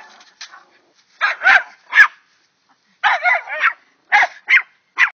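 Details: Pair of dogs barking at a chipmunk: quick clusters of two or three harsh, excited barks separated by short silences, with a few thinner yips mixed in.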